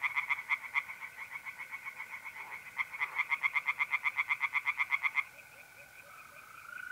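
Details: Tree frogs by night in mid-April at a pond in North-East Italy: quick, rattling croak pulses come in two long bursts, the second louder and more regular. Mole crickets trill steadily underneath and alone at the close.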